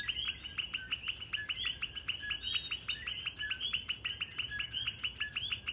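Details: Nighttime chorus of many coquis in Puerto Rico: bright, quick upward-sweeping notes from numerous frogs crowd together in an unbroken pulsing mass, with a steady shrill whine running high above.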